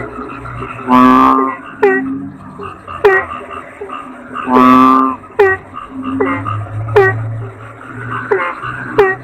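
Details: Kodok bangkong, a toad, repeating a rough, droning croak roughly every three and a half seconds, mixed with many brief downward-slurred calls and a low background hum.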